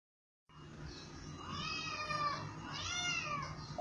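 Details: Domestic cat meowing: a drawn-out, wavering meow that rises and falls in pitch, followed by a second, shorter meow, over a low steady background hum.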